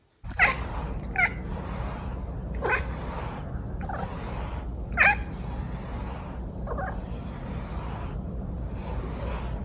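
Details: A Bengal cat chirps and chatters, giving short, clipped chirps and chattering bursts at irregular intervals over a steady low hum.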